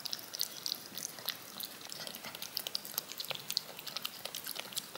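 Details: Cat licking yogurt off a spoon: quick, wet, crisp clicks and smacks in an irregular run of several per second, with a soft hiss beneath and no other sounds.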